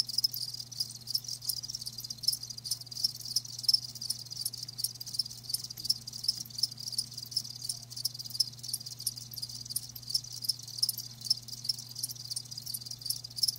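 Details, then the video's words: Live crickets keep up a continuous high trilling chorus of fast pulses, quieter and even, dotted with sharp tinkling notes, over a faint low hum. "Live Crickets 60min "Natural Sound""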